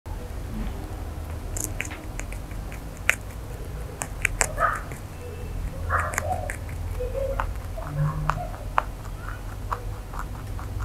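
A rabbit crunches steadily on carrot, with quick, crisp bites and gnawing clicks.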